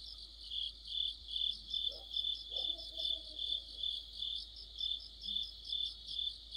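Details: Crickets and other insects in full autumn chorus near a street lamp, high rhythmic chirps pulsing roughly twice per second over a continuous buzz, with a couple of brief low sounds in the background.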